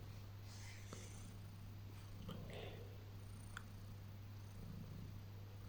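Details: Domestic cat purring indoors during early morning cuddles on waking: a steady, low continuous rumble with faint rustling of bedding.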